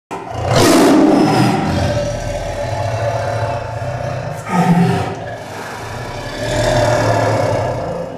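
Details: A captive man-eating tiger in India, caged after killing a village woman cutting grass, growls and gives deep, rasping roars: a long rumbling bout at the start, a short burst near five seconds, then another swell toward the end.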